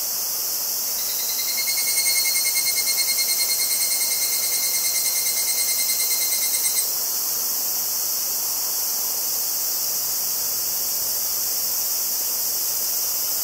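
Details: Higurashi cicada (Tanna japonensis) recorded in Kobe, Japan, on 14 August 2011 with a Zoom H2n front mic in stereo: a pulsed trill, about three pulses a second, rising in loudness over five seconds, over a constant dense hiss of other insects.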